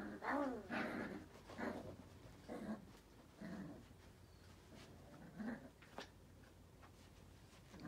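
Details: Luffy, a male Yorkipoo puppy (Yorkshire terrier and toy poodle mix), indoors wanting to play with a WALL-E toy: a series of short harmonic growly yelps and grunts in bursts, loudest at the start, with handling noises between.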